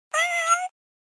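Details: Kitten (Felis catus), meow.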